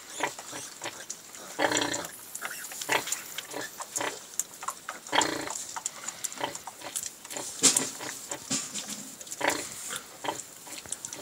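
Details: Sow and new litter of piglets feeding together on a farm, with dense, irregular short grunts and high squeaks tumbling over one another, plus chewing and jostling noise throughout.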